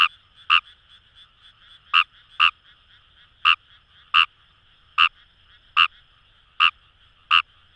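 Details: Paddy-field recording of Fejervarya kawamurai at the Kamo River, Itoshima, Fukuoka, Japan: a steady series of about eleven brief croaks, often in pairs, with a dense background frog chorus humming throughout.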